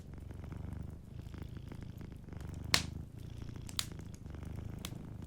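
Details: Gentle purring from a sleeping cat near a fireplace: deep pulsing rumble rising and falling with each breath, interrupted by a loud crackling pop of burning wood and a few smaller snaps.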